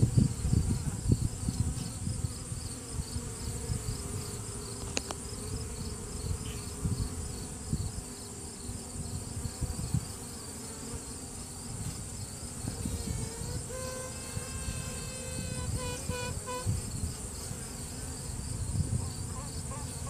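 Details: Virgin honey bee queen within a hive during a routine check, trumpeting to assert her dominance. A faint drawn-out tone, then a burst of short, rapidly repeated harmonic toots near the end, set in dense low hive hum. Recorded on a cell phone.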